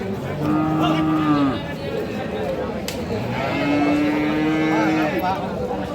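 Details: Friesian and crossbred bull calves at Aftabganj cattle market, Dinajpur, 12 May 2026: two long, level, low moos, each about a second and a half, over dense crowd chatter and market noise.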